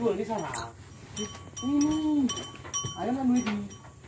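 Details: Tame Bali cattle roaming country roads, giving two drawn-out, arching moos about a second apart, each swelling then fading. Steady metallic bell-like ringing runs through, with a brief rough voice-like sound at the start.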